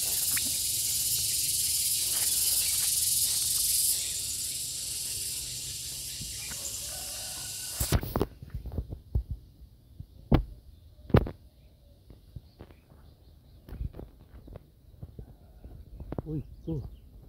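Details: Gareng pung cicada buzzing in a harsh, high hiss that swells slightly around four seconds, then cuts off sharply at eight seconds, followed by scattered thumps and rustling handling noises.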